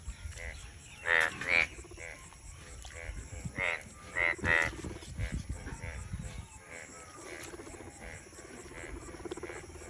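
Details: During the monsoon croaking season, a frog gives harsh, buzzy pulsed croaks in bursts of two or three, loudest early, over a softer chorus of other callers and faint background noise.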